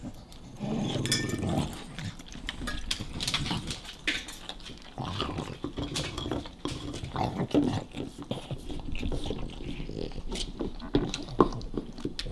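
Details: Nash, a small dog guarding his favorite bone from Carla, a playful puppy, gives low rumbling growls in uneven bursts, mixed with clicking and scuffling noises of the dogs and bone.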